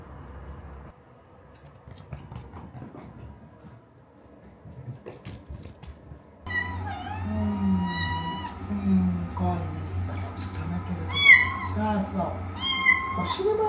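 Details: Asari, a female Minuet kitten, protests vehemently during her first bath indoors: after a quiet start, a run of loud, harmonic, wavering meows repeats every second or so, mixed with talking and a low steady hum.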